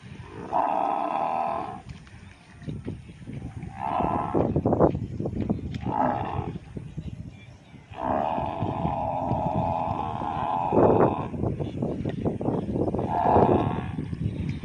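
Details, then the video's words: Water buffaloes in Bangladesh bellowing, long drawn-out low harmonic moans of about two to three seconds each, one early, shorter calls in the middle, then a longer one, with rustling and shuffling noise between calls. "Bangladeshi water buffalos | buffalo sound video"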